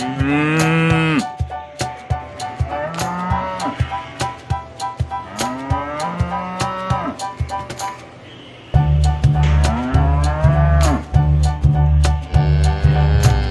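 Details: Cattle calling their friends at an animal market, a series of drawn-out moos with rising and falling tones, several animals answering one another, then a loud steady low bellow near the end amid clattering market noise.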